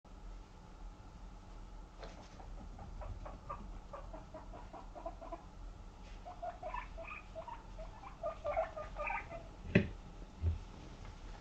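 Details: Female Abyssinian guinea pig named Moru-chan, born 29 November 2017 and kept in an apartment, runs flat out to her owner hoping for vegetables. Soft pattering footsteps carry through, followed by a cluster of short tonal squeaks and one sharp knock.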